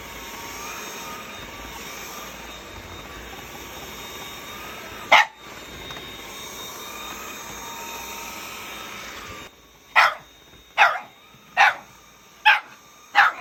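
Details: Shiba Inu dog on a rainy morning, 21 May, around half past seven: one sharp bark, then a quick run of five short, sharp barks near the end, over a steady mechanical hum.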